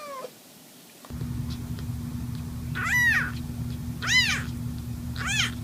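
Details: Kittens meowing: three high, arched mews with rich harmonics around 3, 4 and 5 seconds, following a faint short squeak at the start, over a steady low hum.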